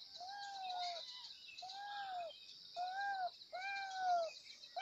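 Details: Kittens meowing loudly for their mother: a quick series of five arched, harmonic meows, each under a second, coming about once a second over a steady high hiss.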